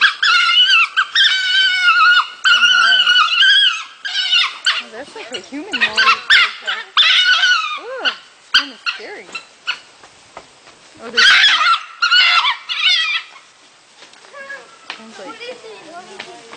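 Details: Captive African wild dogs, three animals fighting over one chew toy at a zoo, make loud, squealing, bird-like twitters in rapid bursts that fade toward the end, mixed with human voices.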